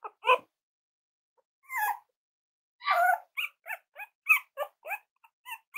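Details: Cavalier King Charles Spaniel puppies indoors, playing and exploring during a litter's potty training: short high yips and small barks, first scattered, then a quick irregular run of yaps in the second half.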